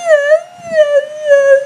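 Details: Beatrice, a Siberian Husky who loves to howl, holds a short steady howl indoors, its pitch wavering gently and swelling three times in under two seconds.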